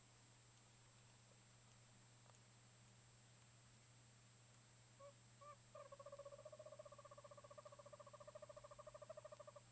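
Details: Oriental fire-bellied toads (Bombina orientalis) in a terrarium, a mating pair plus an unpaired male: a few soft hoots, then a long rapid run of pulsed mid-pitched notes.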